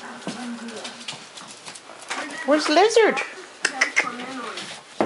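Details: Cardigan Welsh Corgi puppies, eight weeks old, from a litter of seven born 29 October 2010, romp together; a burst of sharp, arching yelps and squeals peaks mid-way amid scuffling and a person's voice calling names.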